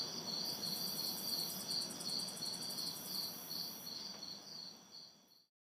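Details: Crickets and cicadas chirping on a humid summer night in an urban backyard, a rhythmic high-pitched pulsing trill with bursts of piercing buzz overhead, light traffic hum in the distance, the whole chorus fading out at the end.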